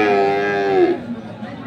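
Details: Crossbred bulls for farming at Ambari cattle market, Parbatipur, Dinajpur, Bangladesh, 2 January 2024: a drawn-out moo with a steady tone that slides downward and fades after about one second, with market chatter behind.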